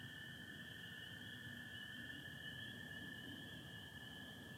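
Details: Spring peepers and American toads calling together on a Michigan spring night, 24 April 2025, sky starry with some overcast: a dense high peeping chorus blends into a constant tone over a steady lower trill, low background hum.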